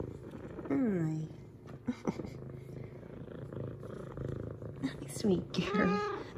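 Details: An excited female F2 Savannah cat greets her owner with drawn-out, falling meows over a soft, steady purr, giving headbutts.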